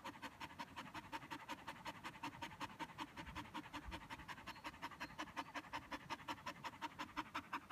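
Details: After a bout of fetch, an exhausted Border Collie pants steadily: a long run of fast, evenly spaced breathy puffs, roughly three per second, with faint low rustling underneath.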